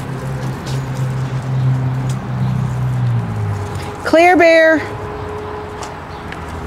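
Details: Pekingese dog raised in a breeder's home in Akron, Ohio, playing indoors; one short, sharp yelping bark with strong harmonics, dropping slightly at its end, heard over low room hum with voices before it.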